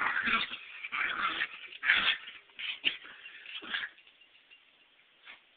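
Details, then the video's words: Chihuahua captured on a cellphone: several breathy, rasping yips and whimpers in quick bursts during the first four seconds, then trailing off to a faint final yip and near silence. "Eddie the Chihuahua kicking my butt"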